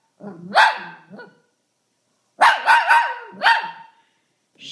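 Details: Shih Tzu barking and howling whenever someone sneezes: a rising bark-howl, a short pause, then a loud run of three or four linked yelping barks ending in a drawn-out howl.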